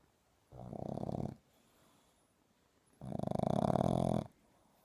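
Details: Boston Terrier puppy snoring loudly at nap time indoors: two long rasping, pulsing snores, each about a second, separated by a quiet pause, low and rough with a fast buzzing flutter.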